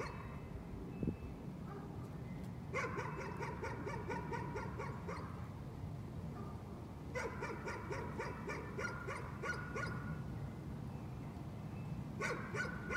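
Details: Nuisance barking by a dog: three separate bouts of rapid, high-pitched yaps, each a fast string of short barks, spaced by pauses filled with low constant background hum.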